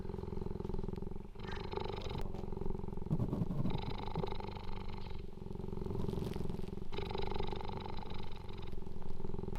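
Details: A captive female cheetah, being petted and played with by a person, purrs in a deep, steady rumble that pulses evenly with each breath in and out.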